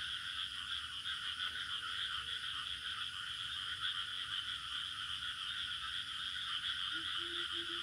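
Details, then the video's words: Crickets calling in a village setting. A continuous shrill, buzzing chorus runs unbroken throughout. Near the end comes a brief low hum and a few short, low repeated tones from another source. "Bunyi Cengkerik"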